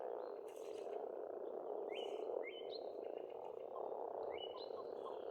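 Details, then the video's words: Frogs in spring at a pond on an Estonian farmstead, a dense, unbroken low croaking chorus filling the whole clip, with short rising bird whistles and chirps overhead. "Расслабляющее пение птиц и лягушек"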